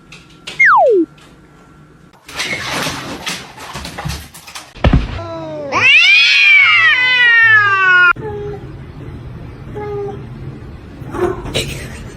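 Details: Domestic cat in a funny pet compilation, indoors: one loud, drawn-out meow that rises and then falls in pitch, preceded by a short sliding squeak and scattered knocks, with music and bursts of human noise around it.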